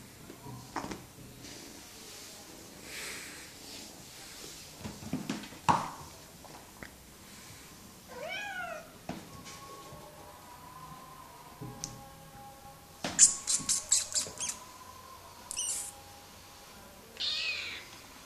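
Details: Bengal kitten on a cat wheel gives one short meow of a few stacked harmonics near eight and a half seconds, arching up then falling, amid scattered clicks, rustles and clattering bursts of the wheel.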